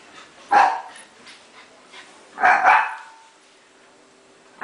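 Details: Shiba Inu pup named Tako playing a game of tag with Bobby, a Pekingese; two sharp, loud barks, one near the start and a doubled one a couple of seconds later, over a quiet room.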